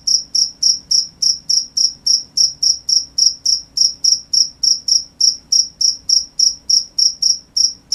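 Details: Crickets at night: loud, pure high-pitched chirps repeated about three to four times a second in a steady pulsing series, each with a faint higher overtone; no other clear sounds.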